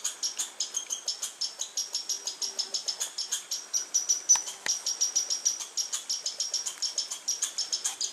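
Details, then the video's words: High, rapid chip notes from a squirrel, recorded August 21, 2012, pulsing steadily several times a second, with a faint lower tone and a few sharp clicks mixed in. "squirrel and bird sounds"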